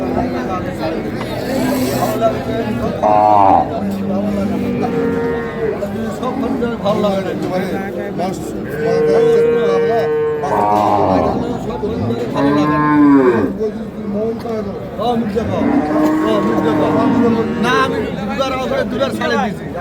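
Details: Dairy cows with calves, Sahiwal, Sindhi and local breeds, at the Ambari cattle market, Parbatipur, Dinajpur, Bangladesh, 19 January 2026: several short, bending moos scattered through constant crowd chatter and haggling voices.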